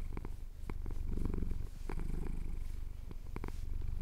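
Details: Pet cat, male, purring as his chin is scratched: a deep, even rumbling that rises and falls with each breath, dotted with small clicks.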